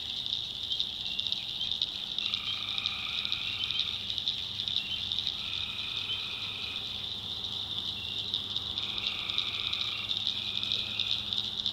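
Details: Tree frogs at night in North Carolina's backwoods, a continuous high pulsing chorus overlaid with repeated lower rattling trills of about one to two seconds, starting and stopping at irregular intervals.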